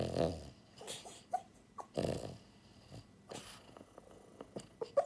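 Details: Sleeping pied female French Bulldog named Buhiko, born January 2022, giving short rough snorts and snoring grunts, several bursts with soft breathing and faint clicks between them, heard in a quiet room.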